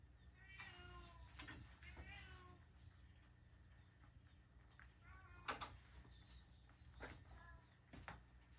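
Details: Pet cat finishing a meal of carrot and a single dried sardine gives a few clear harmonic meows early on, then sharp clicks and a later soft meow, with a person's voice nearby.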